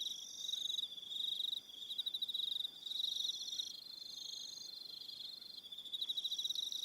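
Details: An evening insect chorus of crickets on New Zealand's Aroha Island: rapid high-pitched chirping trills blend into one unbroken ringing band, with quieter lulls and swells and occasional thinner trills above.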